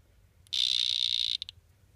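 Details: Three male Excidobates mysteriosus dart frogs give a high, steady buzz lasting almost a second, followed by two short clipped pulses. Low background hum sits underneath.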